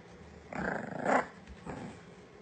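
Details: Dog wearing pyjamas growling playfully during a game of fetch indoors: a short raspy rumble swelling over about a second, then a softer second growl, after a person urges it to go get it.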